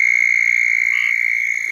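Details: A male southern toad calling in the water during breeding on a cold night, about 48°F, in central Florida gives a loud, steady, high-pitched musical trill held without a break; southern toad.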